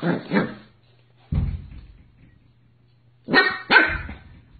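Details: Two quick barks from a Corgi, a single lower gruff woof, then a pair of loud, bright barks close together, with a low mechanical hum in the quiet gaps.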